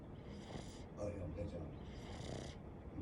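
A Boston terrier snores in rough, breathy bursts about every two seconds.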